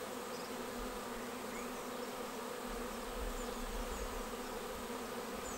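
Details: Continuous buzzing drone of a honeybee swarm moving into a bait hive swarm trap on 19 May, with a low rumble rising briefly near the middle beneath the steady hum.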